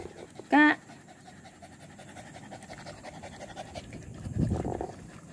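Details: Village dog (anjing kampung) out on a walk, 18 April 2021: a brief loud voiced burst near the start, then a stretch of rough, breathy panting toward the end, with people talking about bringing drinking water along.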